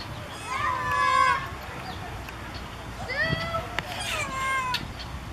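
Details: Ring-tailed lemurs calling out, in what may be a territorial call: two bouts of drawn-out, meow-like wailing calls rich in harmonics, the first louder with a falling then level tone, the second a quicker series of sliding cries, over a low background murmur.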